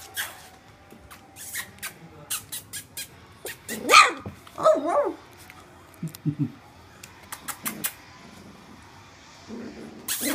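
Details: Welsh Springer Spaniel puppies at three weeks old, the litter of Alfie and Tilly, kept indoors; two loud, high, wavering yelps rise and fall near the middle, with scattered sharp clicks and tapping sounds throughout.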